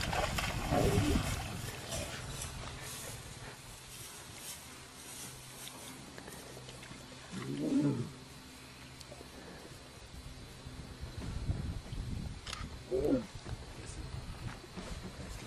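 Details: Lions fighting: low rough growls and roars in bursts near the start, around eight seconds and again near thirteen seconds, with quieter rumbling between and a noisy outdoor background.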